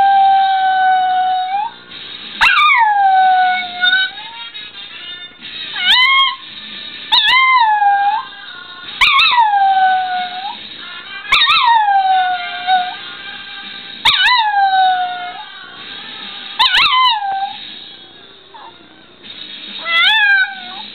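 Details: Pet dog standing by a radio howls along to The White Stripes' song Conquest, a reaction she has only to this song; repeated tonal howls with sharp rising-then-falling slides recur every two to three seconds over the loud rock music.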